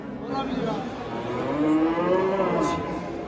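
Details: Simmental heifer bought at a livestock market, being loaded onto and unloaded from a truck to be taken home; a long, low, harmonic moo swells through the middle and fades, with men's voices talking nearby.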